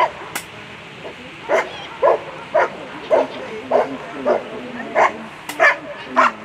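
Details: German Shepherd named Rex v d tiefen Quelle barking at a World Championship agility competition: about ten sharp, short barks in a steady series roughly every half second, over a constant murmur of background noise.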